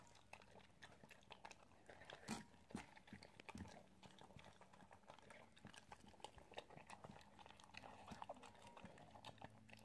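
An Italian Greyhound chewing food, with irregular crunches and wet clicks close up.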